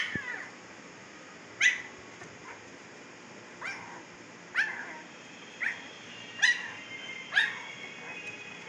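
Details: Siberian Husky puppies aged 15 days, just opened their eyes, Pakistan: short, high, squeaky whimpers repeat roughly once a second, each a quick rising-falling yelp, against a constant faint background hum.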